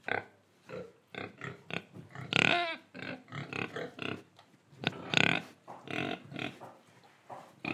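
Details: Oinking pig recorded in Indonesia, dense run of quick grunts broken by two louder, strained squealing calls, with barely any quiet between sounds.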